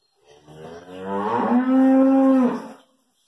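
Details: Hallikar stud bull with two teeth, owned by a farmer at Thattikere, gives a loud, sustained moo: a rough rising onset settling into a steady, clear tonal bellow held about a second before fading.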